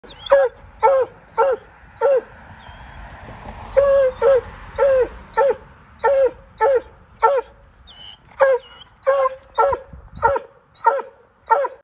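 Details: A Bluetick Coonhound outdoors, apparently after a squirrel, gives a long run of loud, ringing bay notes, each a short bugling yelp with wavering pitch, roughly once a second with brief gaps.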